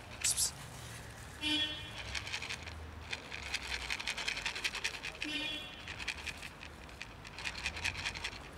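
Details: Fluffy little cat seemingly trying to say something, giving two short, nasal meows with rich harmonics, one near the start and one past the middle, among rustling, scratching and patter indoors.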